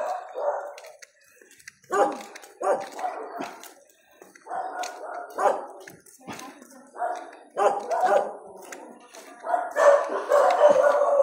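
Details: Dachshund among adopted dogs that sleep and eat in front of a house, giving short, rough barks in irregular bursts, several quick ones in a row with pauses between, alongside people talking.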